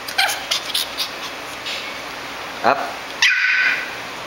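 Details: An 11-week-old Shih Tzu puppy, hungry, gives short high yips and a whining cry, the last rising sharply, in a small indoor room with a steady high electrical tone.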